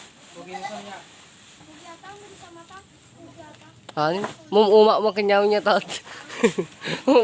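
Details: Farm goat shut in its pen for a while because of very hot weather, calling with loud, quavering, harmonic bleats in a tight cluster over the last few seconds, after softer human talk early on.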